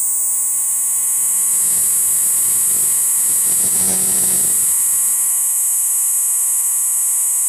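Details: Night-calling cricket (jhingur), an insect said to be loudest after dark and to call for females; an unbroken, piercing high trill runs throughout over faint low hum and a brief soft rustle midway.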